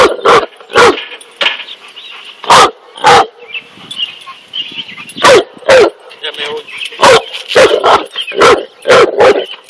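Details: Facing a snake, a Cane Corso gives repeated forceful barks at an uneven pace, while a human voice and faint chatter run underneath.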